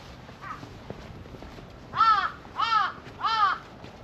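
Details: Cream-coloured community cat in a park calling a fellow orange tabby cat over at New Year; a faint first call, then three clear, arched, mewing cries about half a second apart against quiet outdoor background.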